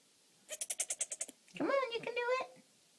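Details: Tonka, a three-day-old disabled Nigerian Dwarf buckling with bent legs and tight tendons, tries to stand at New Moon Farm; a wavering, nasal kid bleat lasting about a second follows a quick run of short clicking pulses, with a person encouraging him.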